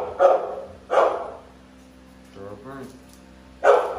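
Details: Deep, sharp barks from the American Bully dogs Navi and Nyla, two close together, a short burst of human speech, then one more bark.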